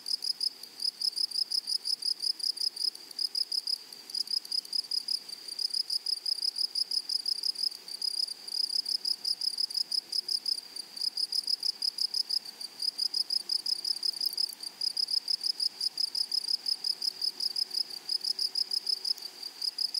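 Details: Grasshoppers calling from a flowery meadow: dense, unbroken trains of piercing, metallic pulses at a quick, steady pace for the whole stretch, over a faint wash of natural background noise.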